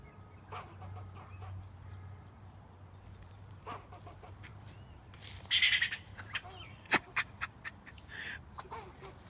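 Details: A squirrel barks at a person sitting outside, giving a few sharp, raspy barks over a low background hum.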